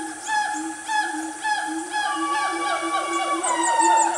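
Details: Siamangs, a noisy family group in Malaysian forest at Gunung Nuang, Selangor, around 10 am: quick series of upward-swooping whoops about every half second, building into a longer sliding note, with insects buzzing high behind.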